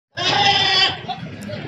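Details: Goat on a goat farm in Bhadrak, India: a single loud, nasal bleat lasting under a second, followed by low background noise.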